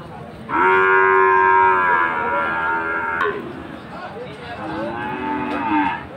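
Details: Bull calf of Friesian or cross breed at Aftabganj market, Dinajpur, Bangladesh, Saturday 18 March, giving a loud, sustained moo of nearly three seconds, then a second softer, falling moo, with faint market murmur behind.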